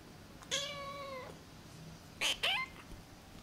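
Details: Namba, a one-eyed rescued feral kitten, gives one long, steady, high meow lasting under a second, then two short, sharp squeaks close together, in a quiet room.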